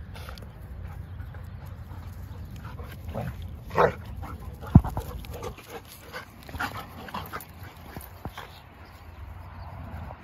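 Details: Sable German Shepherd female playing with her best friend; a short whimpering yelp partway through, then scattered soft grunts, snuffles and thumps over a steady low rumbling background.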